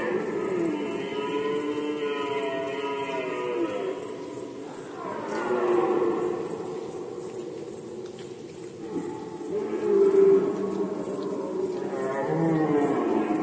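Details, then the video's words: Red deer stag roaring during the rut in Poland, 2020: long, deep, harmonic bellows, one drawn out over about four seconds, then two shorter roars. A steady, fast, high pulsing chirr runs underneath throughout. "Rykowisko jeleni, Rut season of Red Deer"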